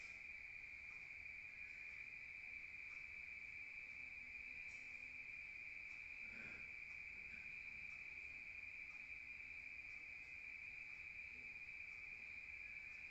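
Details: A constant shrill trill of crickets fills a rural night, unchanging throughout, with a couple of faint soft knocks in the background.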